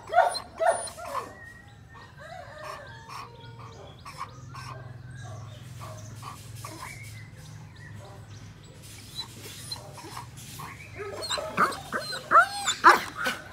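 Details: An 18-month-old semi-long-coated German Shepherd gives short, sharp barks and yips in bursts, with a steady low hum behind.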